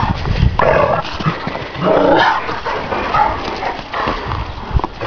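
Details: Šarplaninac dogs in a home yard bark loudly, giving harsh, noisy barks roughly a second apart, over a rustling background.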